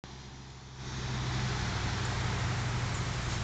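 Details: Outdoor traffic noise builds into a loud, steady engine rumble, with no animal voice heard.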